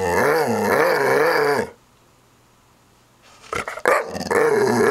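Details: A staring dog growls in long, loud, wavering rumbles, pausing for over a second of quiet with a couple of brief knocks before the growling resumes.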